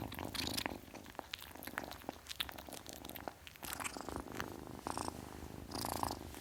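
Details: Kitten purring in a low pulsing buzz, broken by repeated sharp rustles, clicks and scraping sounds from handling close to the recorder.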